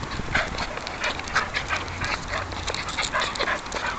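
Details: West Highland White Terrier puppy, about seven months old, in a park beside a home in Dublin, Ireland; steady rhythmic breathy bursts repeat roughly twice a second, like quick panting, over continuous outdoor background noise.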